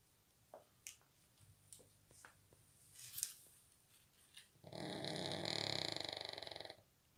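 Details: A Shih Tzu sleeping on a suitcase gives a drawn-out, buzzy, rattling snore after a few faint clicks and snuffles.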